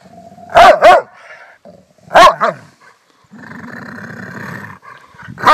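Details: Female pet Rottweiler acting tough to impress her owner, angry display: two sharp loud barks, a third bark burst, then a sustained low rumbling growl lasting over a second, ending with another bark.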